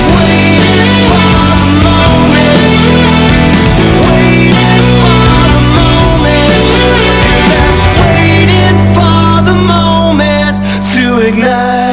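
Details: Loud distorted rock music with driving guitars, drums and vocals throughout; no animal voice can be picked out.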